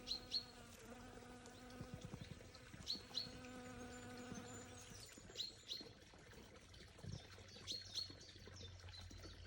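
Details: Bee. A flying bee drones with a low, even hum, heard in two stretches that rise and fall as it comes and goes. High, sharp bird chirps repeat in the background.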